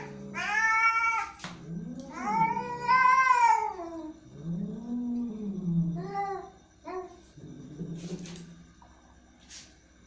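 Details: Angry cat caterwauling: two long, loud wailing meows, then deep rising-and-falling moans and a few shorter, fainter meows, with a couple of sharp clicks in the background.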